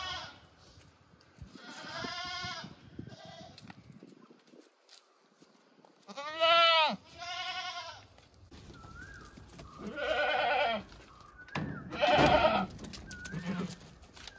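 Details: Domestic goats bleating in a series of loud, nasal, wavering bleats spaced several seconds apart, some paired. Short chirps from small birds are heard in between.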